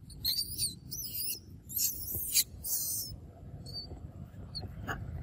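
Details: Monkeys of the Amari family group with their babies in the evening: loud, shrill, wavering screams in several bursts over about three seconds, then a few fainter short squeaks over a low rumbling background.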